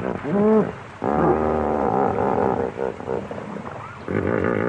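A koala gives deep, rasping bellows, a throbbing snore-like drone broken by harsher grunting bursts.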